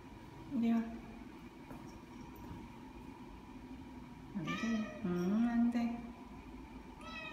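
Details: Ao, a seven-month-old neutered Ragdoll cat, out on a walk around a newly occupied apartment complex in Korea: a short human voice, then a run of drawn-out, wavering meows midway, over a steady low hum.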